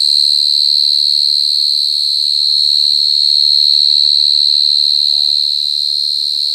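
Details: Super loud mole cricket producing a steady, shrill, ringing trill with fast even pulsing, nearly unchanging in pitch, against a quiet low background.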